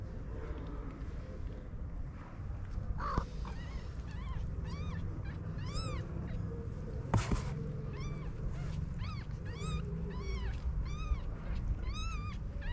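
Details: Stray homeless kittens with their mother on a street in Morocco: a run of short, high, arched mews, many in quick succession from about three seconds on, over steady low street rumble and a brief clatter.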